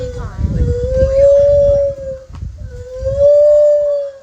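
A lar gibbon gives two long, clear hooting notes that slide upward and hold steady.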